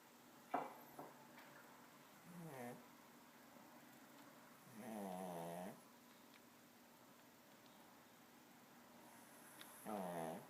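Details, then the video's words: A pet dog snoring: four short nasal, harmonic snorts, each under a second, come at irregular gaps across ten seconds over a quiet background hiss with a few soft clicks. "My dog Snoring"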